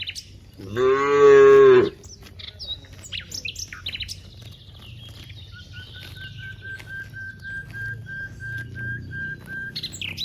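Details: One of dozens of cows grazing across a wide rice field gives a single loud, low, one-second moo, followed by scattered bird chirps and a thin steady whistle-like tone.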